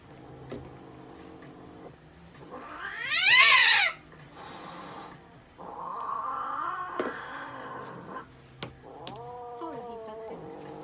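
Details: American Shorthair cat being treated at a veterinary clinic gives a loud wailing meow, followed by quieter drawn-out, wavering cries and soft background noise.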